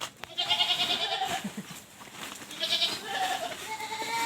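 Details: Goats kept penned because of the very hot weather, bleating in quavering, harmonic-rich calls of about a second each, two bouts separated by a short pause, over a noisy farmyard background.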